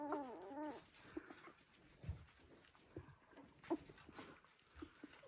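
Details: A Border Collie puppy of the "U2" litter, one week old, gives a sharp, arched whimper that rises and falls twice, followed by soft rustling, a brief squeak and quiet breathing noises.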